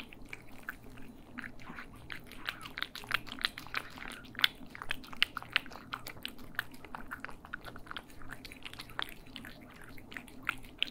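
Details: Cats eating, recorded in stereo for ASMR: dense, rapid crunchy chewing and biting clicks, irregular and continuous throughout, with a faint low hum underneath in a small indoor room.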